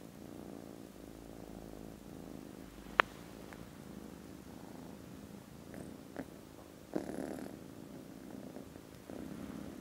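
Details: Soft low purring from contented foster kittens snoozing after lunch, 18 December, quieter and thinner than full rumbles, with sharp clicks and a few rustling knocks scattered through.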